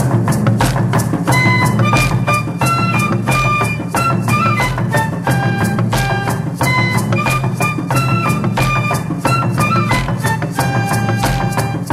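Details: Loud instrumental music with a steady drum beat and a bright melodic line throughout, with no animal sound.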